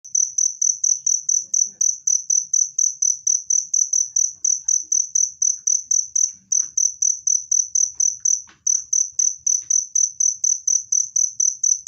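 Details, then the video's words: Cricket recorded for driving away rats and calming stressed cage birds: a clear, loud, high chirp pulsing steadily about twice a second in an unbroken run, with faint low rustles beneath. "SUARA JANGKRIK PENGUSIR TIKUS jernih dan keras"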